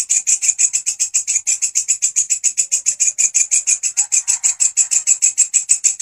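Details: A grasshopper kept as a master sound for songbird training gives loud, high scraping pulses, close to three per second, slightly uneven in spacing, with a faint lower rustle partway through.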